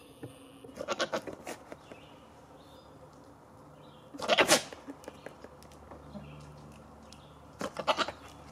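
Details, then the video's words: Goats being silly: three loud, wavering, nasal bleats spaced several seconds apart, each a quick quavering burst, with quieter rustling between them. "goats being silly"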